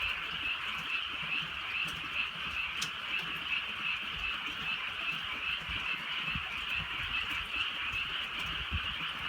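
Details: A countryside frog chorus on a drizzly night: steady, dense croaking from many frogs at once, gently pulsing, with occasional drip clicks and a quiet low rain hiss.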